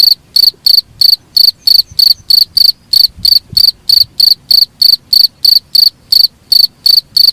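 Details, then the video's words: Cricket chirping, recorded for use as a master sound to train songbirds: loud, shrill pulsed chirps repeated steadily about three times a second, clean background with no other sounds. "suara jangkrik paling bagus sangat cocok untuk master burung kicau"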